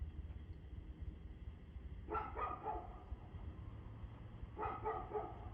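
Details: Barking dog, evening of 2/6/2024 at 6:02 pm: two short bursts of rapid, rough barks about two and a half seconds apart, set over a continuous deep rumbling background.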